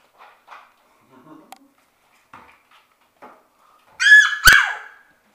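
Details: Six-week-old Shetland Sheepdog puppies from one litter playing in their play room: soft scattered scuffles and small murmurs, then two loud, high, harmonic yelping barks close together near the end.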